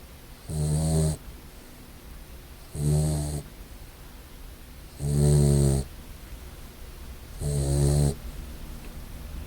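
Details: Sleeping brindle English Mastiff puppy snoring indoors: four deep, rattling snores about every two and a half seconds, each lasting roughly half a second, with quiet breathing between them.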